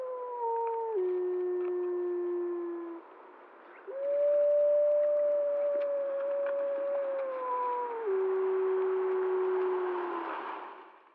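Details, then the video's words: Before dawn on 10 October 2014 near Blacktail Ponds, the Prospect Peak gray wolf pack, drawn to a bison carcass, gives long, mournful chorus howls that hold then slide down in steps, possibly answering a distant lone wolf. "Prospect Peak pack wolf howling"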